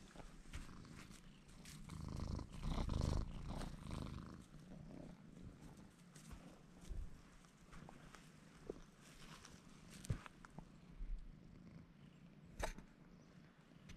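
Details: Domestic cat Bruce purrs as he presses against a man's legs, a continuous low vibrating rumble, loudest around the third second, with scattered soft taps and rustles of movement.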